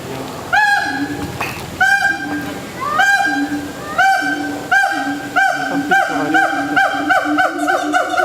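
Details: At Singapore Zoo, a gibbon gives loud, swooping whoops, repeated about once a second, over a low steady hum.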